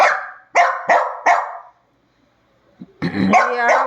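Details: Dog barking during a nightly squabble: four sharp barks spaced about a third of a second apart, a short silence, then a rougher burst of barking with a growl.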